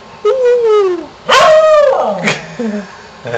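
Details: Howling from pet dog Shamus, egged on by its owner as a contractor works nearby: two drawn-out howls, the first gently falling, the second louder and sustained before dropping away, with a brief whimper after.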